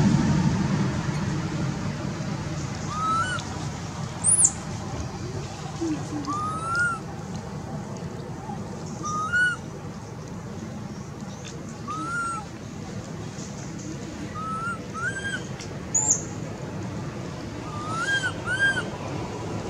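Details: Anissa, a hungry baby monkey, cries for her mother in a string of short whistled coos that rise then dip, repeated every second or two over steady background hiss, with thin high chirps scattered above.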